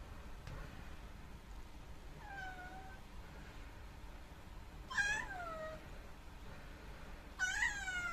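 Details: Black rescued kitten indoors, complaining after trailing its owner to the toilet; three drawn-out, downward-sliding meows spaced a few seconds apart, each louder than the last, in a quiet room.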